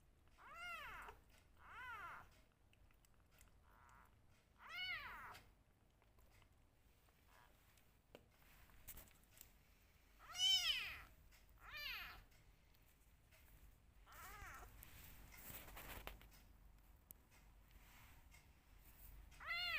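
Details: One of two rescue kittens meowing during bottle feeding: scattered short, high, arched mews every few seconds, fairly faint against a quiet indoor background.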